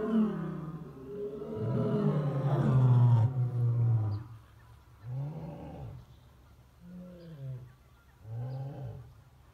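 A lion gives a deep, full-throated roar that trails off into a series of shorter grunting calls.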